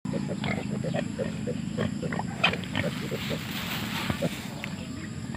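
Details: Wild boar mother with her piglets, the young sniffing around curiously; short soft grunts in quick rapid series, many per second throughout, over a steady low rumble.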